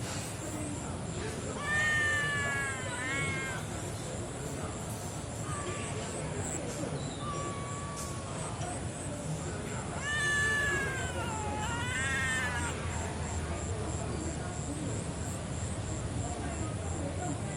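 A kitten gives loud, shrill, drawn-out meows in bursts, each one wavering and sliding down in pitch.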